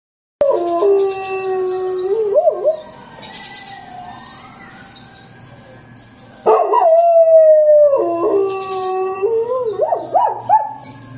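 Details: Belgian Malinois howling in imitation of an ambulance siren: loud wavering howls with stepped pitch jumps, a smooth rising and falling siren tone in between, then the dog's howling resumes.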